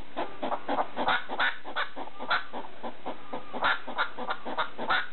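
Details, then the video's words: ['Domestic hedgehog at night, barking at a slipper; rapid, harsh, chuffing bursts come in uneven clusters, roughly three per second, over a quiet background with a low electrical hum.'] "Hedgehog making noise (barking) at a slipper in the middle of the night"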